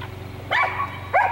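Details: Red dog of unknown breed with a curly tail, chasing a squirrel up a small pine tree: two sharp, tonal yipping barks about half a second apart over a steady low hum.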